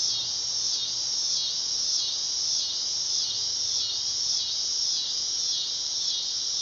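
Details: Dog-day cicada song: a loud, sizzling high buzz throbbing in regular waves about every half second, steady and unbroken for the whole stretch.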